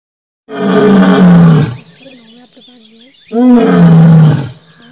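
A lion lets out two booming roars, each rough and full-throated, lasting over a second and dropping slightly in pitch. Faint voices are heard between the roars.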